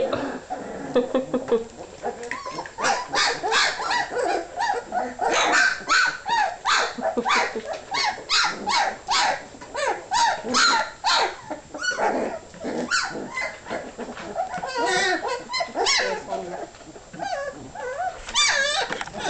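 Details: Puppies hungry before eating, crowding together with nonstop high-pitched yelps, squeals and whines, packed closely in rapid overlapping bursts, with occasional short barks and a voice in the background.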